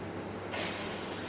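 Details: Indian cobra indoors after getting into a home, described as angry earlier; a sharp hiss bursts in abruptly midway and holds steady and loud until the end.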